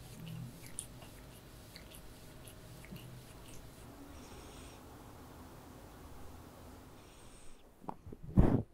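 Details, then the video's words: Sofa, a female Ragdoll cat, relaxing indoors at home during a spa day of treats, grooming and brushing; a low, steady rumbling purr runs throughout, with faint soft clicks and a louder rustling thump near the end. "One pleasant day of the cat I Purring ASMR"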